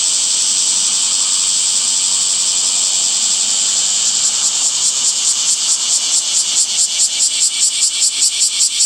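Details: Summer cicada song in a leafy setting: a continuous high whirring drone for about four seconds, then the buzz breaks into rapid regular pulses that strengthen toward the end.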